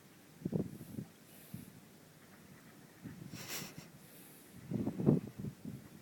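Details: Minxy, a sleeping horse with twitchy lips, snoring: two rough, low, breathy bursts about four seconds apart, with quieter snuffling breaths in between.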